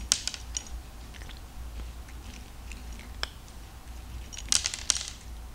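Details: Cat eating dry kibble, crunching it loudly: irregular sharp crackling bites scattered through the clip, with denser bursts of crunching near the start and around four and a half seconds, in a quiet small room.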